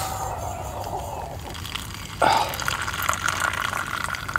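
Running, dripping water with a sudden louder splash midway and a faint voice, no animal calls.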